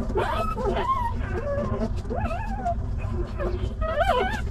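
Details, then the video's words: Litter of stray puppies left behind by their mother, calling out sadly with a run of thin, arching whines and squeaky yips, several voices overlapping, a louder rising whine near the end, with constant low background hum. "Puppies immediately got up and barked sadly"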